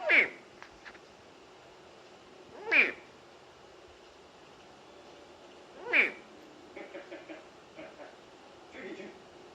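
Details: Saltwater crocodile calling: three sharp, high, sweeping chirps spaced about three seconds apart, followed by fainter ticking sounds against a quiet background.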